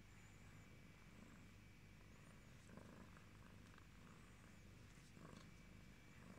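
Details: A yellow British Shorthair cat purrs in a low, steady, continuous rumble.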